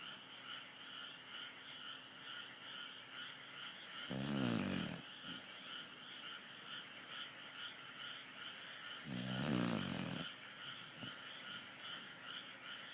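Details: A sleeping dog snores: two rough, rasping, pulsed breaths about five seconds apart, each lasting roughly a second, over a steady electrical hum.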